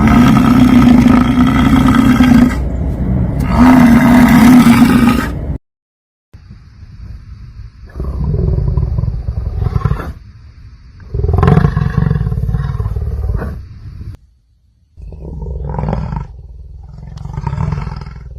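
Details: Bison giving deep, rough roaring bellows, low and grinding, in long bursts of two to three seconds separated by short gaps, with a harsher, broader stretch at the start.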